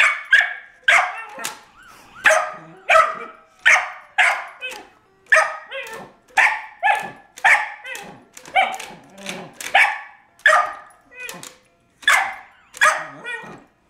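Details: Cairn Terrier named Scamp barking furiously at a baby's toy car indoors; sharp harmonic barks repeated rapidly, roughly one to two per second, in an unbroken volley.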